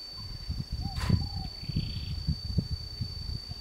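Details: A family of wild boar gives low, rough grunts in short irregular bursts, with rustling in the undergrowth, in Huai Kha Khaeng Wildlife Sanctuary, Thailand, on 6–7 May 2017.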